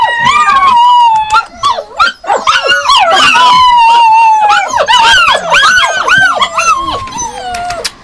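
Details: A chorus of Yakutian Laika dogs in sustained howls and rapid repeated yelps. Long steady tones run under quicker arched cries from several animals, calling almost without pause.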